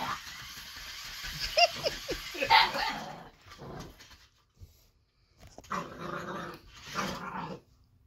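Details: Baron, an eight-week-old Boxer puppy, confronts an interactive robotic toy: quick high barks tumble out first, then after a brief pause come two rough, harsh growling bursts.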